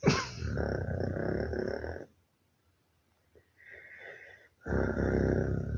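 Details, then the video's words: Dog snoring as loud as a tractor, with rough, rumbling inhalations lasting about two seconds, a softer wheezy breath between them, and a pause of about a second of quiet. "Храпящий пёс трактор"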